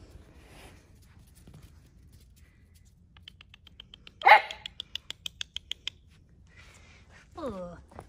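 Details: Central Asian Shepherd puppies, Neptune and Nyx, out in an unfamiliar area on a cold 14°F day. One sharp bark is followed by a quick run of light repeated ticks, then a falling whine near the end.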